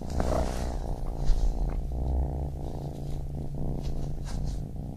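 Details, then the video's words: Baby kitten purring steadily, a deep continuous rumbling buzz with faint higher clicks and rustles early on, in a calm indoor setting. "Baby Kitten Purring"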